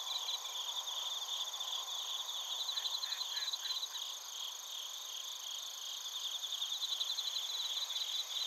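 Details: Bell crickets and other crickets in Narita, Chiba Prefecture, Japan, recorded on a TASCAM Portacapture X8. A dense, steady high ringing chorus with rapid pulsed trills, and a brief lower rasping burst partway through.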